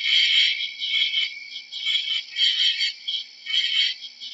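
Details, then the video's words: Short burst of shrill cricket chirping, loud at first, then pulsing in waves about every half second. "How does a cricket sounds"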